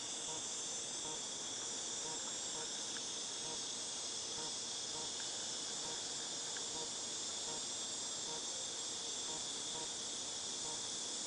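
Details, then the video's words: A wall of cicada song from August 2018, a constant piercing high hiss that never breaks or changes in volume, with a steady underlying tone and faint scattered clicks in the background. "Cicadas Tinnitus Sound"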